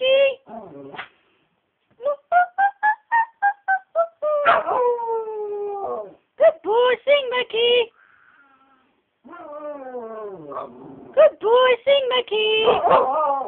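A dog howls and yodels in rising, wavering bursts, as if singing along.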